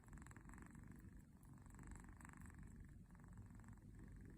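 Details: A small kitten snoring in its sleep like a tractor, a deep grinding rumble broken into short raspy breath cycles repeating a little under once per second.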